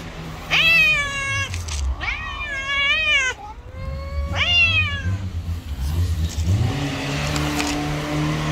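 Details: Two stray cats that dislike each other face off outdoors; loud harsh yowls rise and dip in three close bursts, then quieter growling moans as a passing vehicle hums low.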